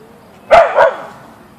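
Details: A Siberian Husky (Ausky) named Boeing confronts a deer in the backyard, giving a quick double bark, two sharp clipped yaps close together, then quiet.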